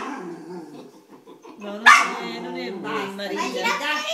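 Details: A Chow Chow barking at a Maltese gives a sharp, sudden bark amid softer vocal sounds.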